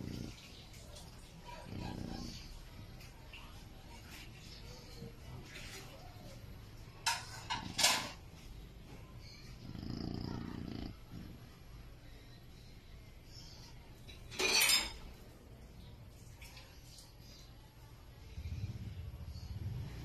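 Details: A sleeping Chow Chow dog snoring indoors: soft, low rumbling breaths at intervals of several seconds, with a few sharp clicks and rustling noises in between.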